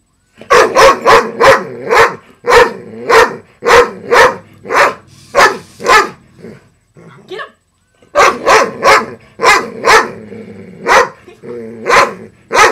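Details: Female pet dog barking at a broken robotic frog toy with a loud motor: a fast run of sharp, loud barks, about two per second, a brief pause partway, then another barrage. Urging voice in the background.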